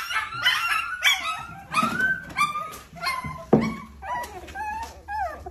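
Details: Puppies playing together with their owner, a busy run of high whining yips and squeaks, some rising then falling, several overlapping, with scuffling and a sharp knock.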